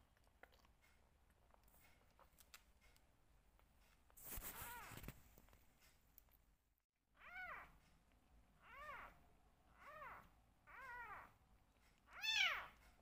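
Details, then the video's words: Rescue kitten, one of two left, meowing during bottle feeding indoors; a burst of handling noise, then five arched meows spaced about a second and a half apart, the last loudest and highest. "Only 2 Rescue Kittens Left but Still Making Noise During Bottle Feeding!"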